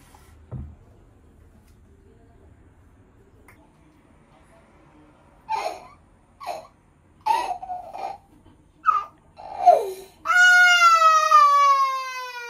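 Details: Cuddling Norwegian Forest Cat giving a cute meow while hugging; after quiet seconds and a few short voiced bursts, one long, steady, high meow slowly falls in pitch to the end.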